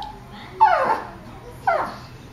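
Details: Nervous Boston terrier or petit brabançon in a veterinary waiting room, trying to escape; two loud descending whines, each sliding down from a high squeal, about one second apart, over quiet room noise.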